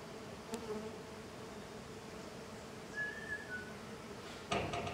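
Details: Swarm of jatai stingless bees (Tetragonisca angustula), small and golden, busy outside the hive; a continuous low droning hum with a brief whistled bird note near the middle and a sharp knock at the end.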